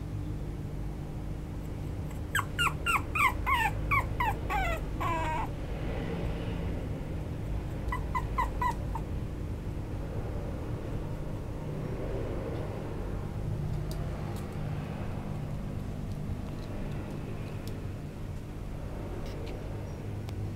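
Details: A parti-colour Chihuahua puppy, male, whimpers in a rapid run of short high yelps between two and five seconds, adds a brief burst near eight seconds, then only faint room noise follows.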